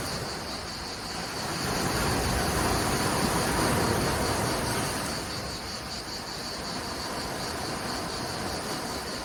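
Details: Cicadas out in full force in Menton, France, beside crashing waves: a steady dense high buzzing hiss runs throughout, layered over the broad low roar of surf that swells and fades.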